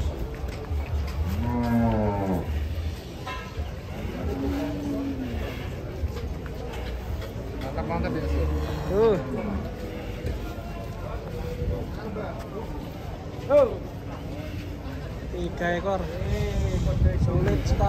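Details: Very large cattle being loaded onto a truck in Indonesia; several drawn-out, wavering low moos with rising and falling tones, mixed with people talking, clatter and handling noise.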